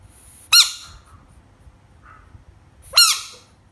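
A frog lets out two piercing, squeaky screams, each a brief harsh burst that drops slightly in pitch. About two and a half seconds of near silence separate the two cries.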